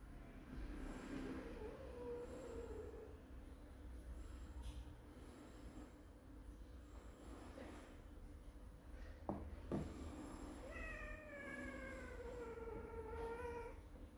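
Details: Kitten meowing: a faint drawn-out cry early on, then a clear, long, slightly falling meow near the end, over a steady low rumble with a couple of sharp knocks.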